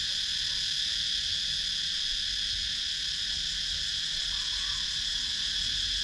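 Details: Cicadas in a wooded countryside area of Sakon Nakhon, Thailand, via GoPro Hero 9: an intense, level, high-pitched ringing buzz that never pauses, layered from many insects, with a faint low rumble.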